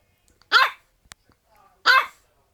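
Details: French Bulldog uttering two rough, strained barks about a second and a half apart, with a faint click between them and near silence around.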